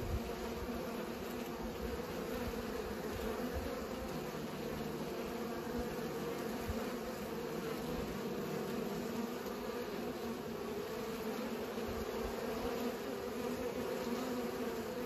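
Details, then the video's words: Steady hum of bees at work pollinating, a constant layered drone sustained for the whole stretch without pauses. "Bees pollinate"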